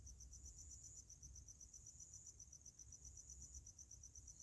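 A cricket chirps steadily at night, a rapid high-pitched pulsing trill over a low rumble.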